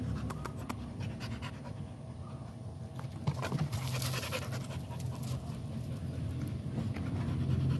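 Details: Quick, rhythmic panting from an American Pit Bull Terrier, about four breaths per second, growing louder partway through over a low rumbling background.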